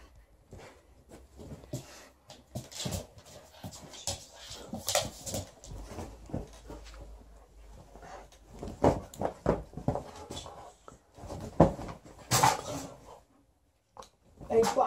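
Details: Liza, a female Alaskan Malamute, tussles indoors with her old fish toy during shedding season while her aunt visits. She makes broken whimpering and grumbling sounds in short irregular bursts, with scuffling between them.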